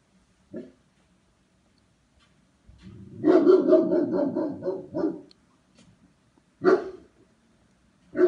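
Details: German Shepherd barking during temperament test No. 39: a single bark, then a rapid volley of deep, harmonic barks lasting about two seconds, followed by a pause and two more isolated loud barks.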